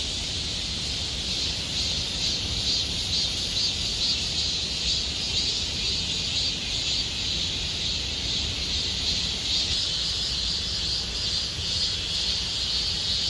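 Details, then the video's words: Summer cicada chorus in Gomsol Nuri Forest, Sihwa district, a continuous shrill buzz that swells and fades in gentle waves, with a thin high hiss on top and no other clear sounds. "곰솔누리숲의 매미소리 Cicada sound of Gomsol Nuri Forest"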